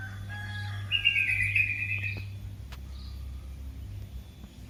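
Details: Young cat calling its mother with one high, drawn-out mew of just over a second that wavers and slowly falls in pitch, with a steady low hum behind it.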